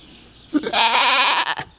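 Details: Miniature goat on a farm during a birth, giving one loud, strained, wavering bleat lasting about a second, with a short grunt just before it.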